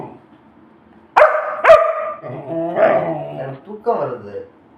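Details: Pet Labrador Retriever indoors, barking to ask for food: two sharp, loud barks about half a second apart, followed by a woman speaking Tamil over soft low whines.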